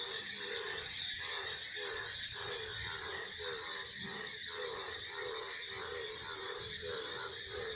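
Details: Frogs croaking during rainy weather in Lucknow: a steady chorus of rhythmic, pulsed croaks repeating roughly every half second, over a dense, continuous high-pitched drone of cicadas.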